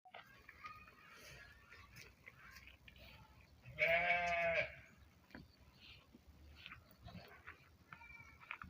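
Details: Cattle for sale, likely in Uzbekistan; a single harmonic-rich call around four seconds, lasting about a second, stands out over a quiet background with faint scattered clicks, light rustling and a soft, more distant bleat-like call near the end.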